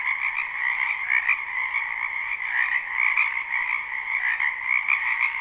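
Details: Many frogs croaking together in a wetland during spring, live: a thick, ceaseless trilling chorus with two stacked pitch bands and small rhythmic surges, no other sounds standing out.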